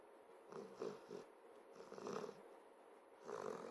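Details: Moose, a five-and-a-half-month-old Saint Berdoodle puppy, asleep on a bed he is not allowed on, snoring softly; breathy rasping snores pulse about every half second in quiet bursts, with a louder snore near the end.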